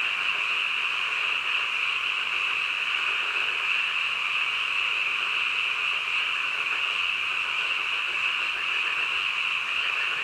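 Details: A dense nocturnal frog chorus, heard as an uninterrupted, evenly loud buzz of overlapping croaks. The tone is high and steady, with a fainter lower wash beneath and no pauses.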